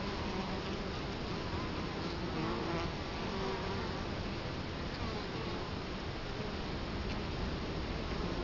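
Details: Continuous low buzzing of a crowd of Italian honey bees before the hive entrance, recorded in Colorado Springs in 2011 with the camera close to the hive; a dense, unbroken hum.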